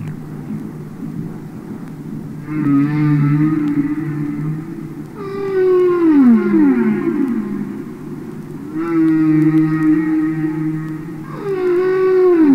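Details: Underwater song of humpback whales from an album of real whales singing and communicating: alternating sustained wavering moans and steeply falling whoops, four phrases in about twelve seconds, each rich in harmonics.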